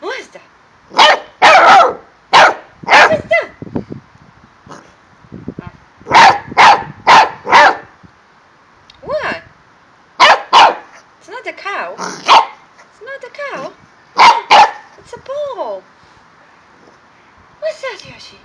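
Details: Excited male corgi at play with balls in Milton Keynes, UK: rapid clusters of loud, sharp barks, three to five at a time, alternating with arched whining yelps and brief pauses.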